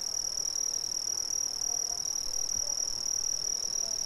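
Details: Shrill, continuous high-pitched trilling from many Brazilian crickets, rapid pulses that run on evenly throughout, a faint overtone above, and a low murmur of background noise beneath.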